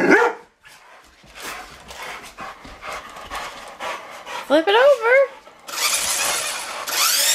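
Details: Rottweilers playing with a remote control truck: a sharp bark opens, then a quick run of wavering, rising-and-falling whines midway, followed by a loud steady buzzing noise; a person talks in the background.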